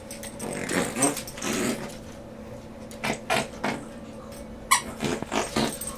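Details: Benji, a Morkie (Maltese/Yorkie cross) with a chronic nose problem, snorts and snuffles while playing with toys during a morning session in an office; short breathy bursts come in clusters near the start, middle and end, over a steady indoor hum.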